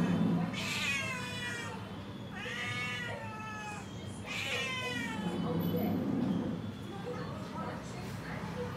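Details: A tall cat waiting outside the door for food gives three drawn-out meows with falling, wavering tones, spaced about two seconds apart, over a steady low background hum.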